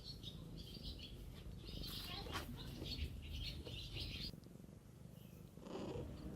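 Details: Purring mother cat caring for kittens outdoors. A steady, rough, low rumbling pulse runs throughout, with airy rustling and brief higher scratchy sounds layered over it.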